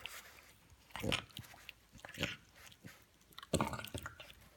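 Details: A female French Bulldog lets out a few short, rough snorts and grunts while having her teeth brushed with a dog toothbrush, the last one longer and more voiced, with brushing and chewing noises between them.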